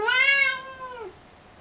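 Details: Kissel the cat lets out a single sustained, bright meow about one second long, holding steady pitch before sliding down at the end, followed by near silence in a quiet room.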